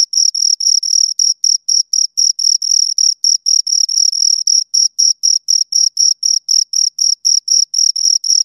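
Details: High, ringing cricket chirps from two insects, repeated steadily about four times per second, each pulse brief and scraping with a faint overtone above, heard against complete silence.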